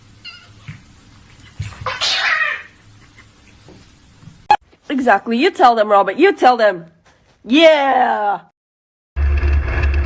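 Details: Domestic cat indoors giving a fast string of short harmonic meows, then a single long meow sliding downward, with human talk and abrupt cuts between scenes.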